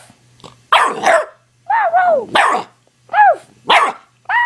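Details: Nine-week-old pit bull puppy trading barks with its owner, giving loud repeated barks and yappy yelps, some arching in pitch, about six calls in quick succession against a faint low hum.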